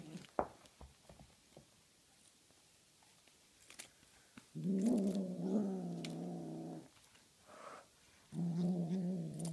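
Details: Tonkinese kitten Honey Butter growls while playing with a feathery flying toy, two low rumbling bouts of about two seconds and one second after a stretch of quiet rustling and thumps.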